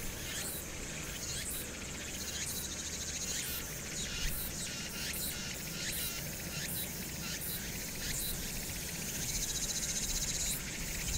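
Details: Summer cicada chorus at Hwangnyeongsan, 1 August 2019, with urban background noise: a bright, shrill buzzing wall of sound pulsing rapidly, about several beats per second, above constant low traffic hum.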